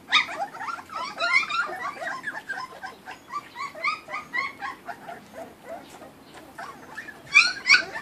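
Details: Several Kuvasz puppies eating raw food, from a 2013 litter: a busy overlapping chorus of short, high squeaky yips and whines, irregular and chattering, with a louder burst of squeals near the end.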